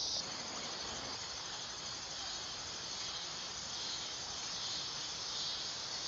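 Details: Dog-day cicada singing: a steady, hissing, high-pitched drone that holds without break, swelling slightly near the start and again midway, over a faint rustling background.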